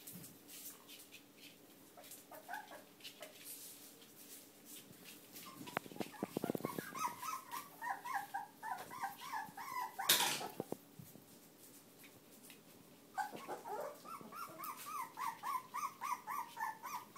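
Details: Litter of young Whippet puppies born to Kandy: a quiet start with rustling and a sharp knock, then high squealing whimpers building into a rapid series of repeated squeaks, several each second, from more than one pup.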